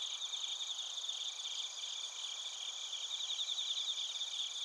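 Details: Crickets, bell crickets and field crickets, recorded in Narita, Chiba Prefecture, Japan, on a TASCAM Portacapture X8. Many insects overlap in a continuous high ringing trill with rapid pulses that swell slightly near the end.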